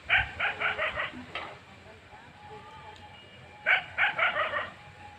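A dog gives two quick bursts of sharp, rapid barks, four or five in each run.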